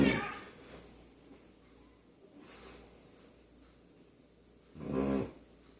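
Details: A sleeping puppy snores loudly indoors: rasping, buzzy snores recur about every two and a half seconds, with quiet breathing between.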